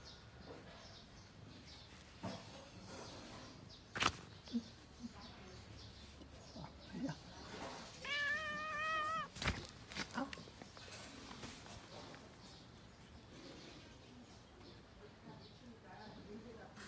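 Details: A stray calico cat outdoors, blocking the way on the morning commute to work. It gives one clear, wavering meow midway, preceded by faint clicks and footsteps in quiet surroundings.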